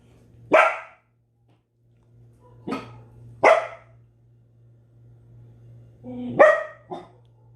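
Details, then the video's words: Belgian Malinois giving extreme barking: loud, harsh single barks spaced a second or more apart, five in all, the last two close together, over a low constant hum. "Extreme Barking | Belgian Malinois"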